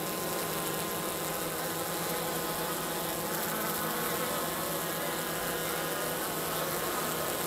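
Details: Minnesota hygienic honey bees south of St. Paul clearing dead bees from the bottom of their hive on March 16th, 50 degrees. A thick, even drone of many bees runs unbroken throughout, low-pitched with bright harmonics above.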